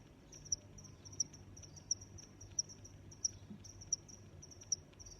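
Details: Crickets sounding a high, even trill punctuated by louder sharp chirps about every 0.7 seconds, with muted low background hum throughout.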